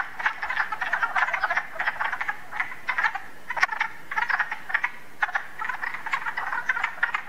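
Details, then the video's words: Frogs at night giving rapid rattling croaks in short bursts, many calls overlapping in an irregular, clattering chorus with brief gaps. "Frogs & Toads wide variety of sounds"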